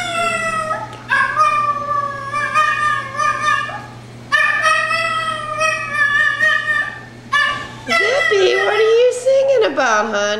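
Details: Zippy, a female miniature dachshund mix, howls the blues indoors when she realizes she is alone in the room: long, wavering, pitiful sustained notes in several drawn-out phrases, ending in a higher, quavering, cracking wail, with a woman speaking softly to her.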